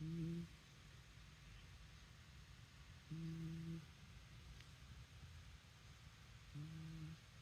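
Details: Shiba Inu snoring: three low, steady, humming snores, each about half a second long, spaced roughly three seconds apart, over faint background hiss in a quiet setting.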